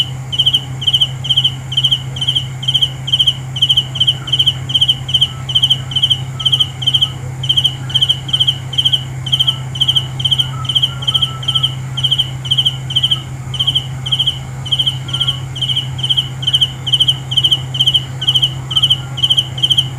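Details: Cricket at night repeating brief pulsed chirps roughly twice a second for twenty seconds, steady and bright, above a constant high insect drone and a prominent low mechanical hum.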